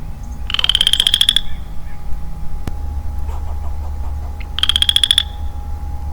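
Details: Early spring woodland with a lonely male Western Chorus Frog producing two quick upward-sweeping pulsed trills about four seconds apart, a sharp click between them, and a low hum underneath.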